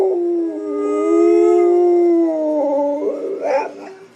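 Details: A Pit Bull kept as a pet howls during a howling contest with its owner's partner: one sustained, slightly wavering howl, rich in harmonics, that breaks into uneven yips and whimpers as it fades.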